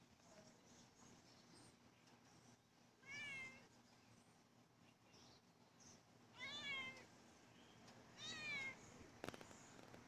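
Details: A domestic cat waits outside and greets its owner coming home from work, giving three separate rising-then-falling meows several seconds apart over a low steady hum, followed by a brief sharp knock near the end.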